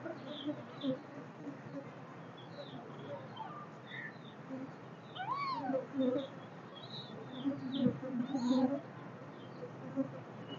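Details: Kittens give thin, high meows that arch up and fall away, over a soft background hiss.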